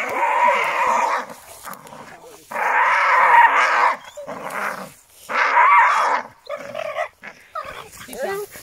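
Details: Staffordshire Bull Terrier playing on a spring pole: rough, noisy growling in bursts of one to one and a half seconds, three long bursts followed by shorter ones, with brief quiet gaps and a person's voice.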